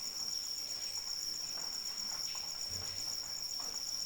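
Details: Crickets calling through rain: a steady, high, finely pulsed trill that runs without a break over a soft, continuous hiss of falling rain, with faint patter from drops.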